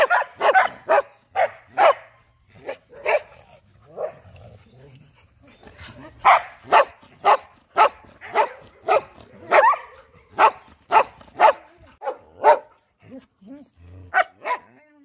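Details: Loud, sustained dog barking, roughly two barks per second at uneven spacing, with short pauses between runs.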